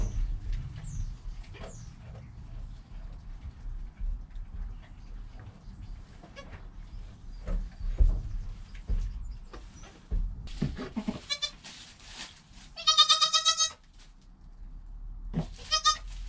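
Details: Newborn goat Joel, within his first hour, mother Penny close by, recorded by a GoPro: low rumbling background and rustling, then a brief cry and one loud, clear, wavering bleat toward the end.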